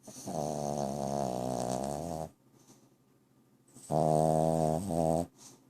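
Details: Bobo the dog snoring indoors: two long, rough, droning breaths with a buzzy harmonic rasp, the first about two seconds, the second shorter with a brief break, separated by quiet.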